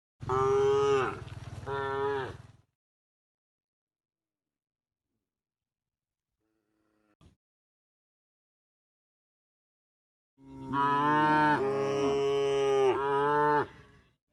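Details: Cows on their way to the pen, tame and herded: a two-part moo, around seven seconds of quiet broken by a faint tap, then a long, loud two-part moo.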